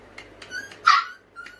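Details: A hungry puppy waits impatiently for its food, letting out faint squeaks, then one sharp, high whining yelp and a small trailing squeak, close by in a quiet room.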